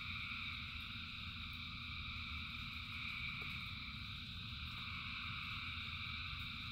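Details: A huge frog chorus in the rain, heard as a steady wall of overlapping trills in stacked pitch layers, backed by a flat low-pitched rumble throughout.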